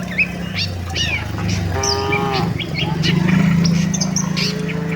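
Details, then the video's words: Several tame cattle moving as a herd toward the shed, low moos overlapping with a higher harmonic bellow near the middle, steady low rumble throughout and scattered bird chirps above. "suara sapi moo"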